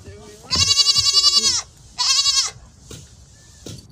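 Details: Baby LaMancha dairy goats on a homestead give two loud, trembling bleats in quick succession, the first about a second long and the second shorter, followed by quiet rustling.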